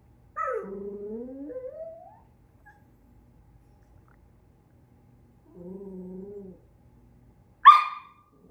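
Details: A Miniature Schnauzer that dislikes a toy reindeer gives drawn-out, rising whining grumbles at it, then a single sharp yip.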